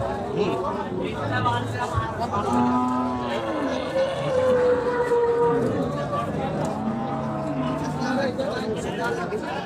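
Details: Cows at a livestock market in Bangladesh where cattle are bought and sold; several drawn-out lowing moos with rising and falling tone rise over steady crowd chatter and voices.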